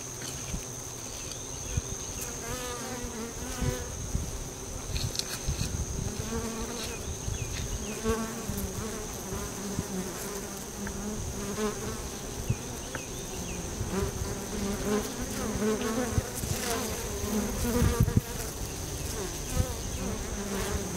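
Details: Honey bees busy at the entrance of a bee tree: a dense, continuous hum of many wings, with individual bees buzzing past close by, their tones wavering up and down, plus a steady high thin whine throughout.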